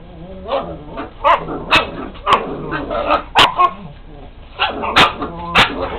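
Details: Dogs bark repeatedly, about a dozen sharp, loud barks in quick uneven bursts with brief pauses. A person's voice is heard in the background.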